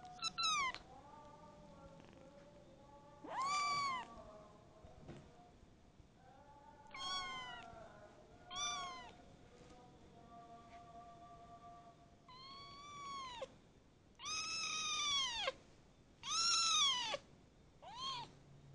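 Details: Newly adopted kitten, ten days into its new home, repeatedly meowing indoors, roughly eight or nine loud, high, arching cries with rich harmonics, clustered more tightly and intensely toward the end, with a quiet hum beneath.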